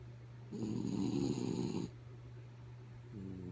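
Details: Asleep, the dog Kaya Boo lets out a coarse rattling snore of just over a second, then quiet hum before the next breath begins softly at the end.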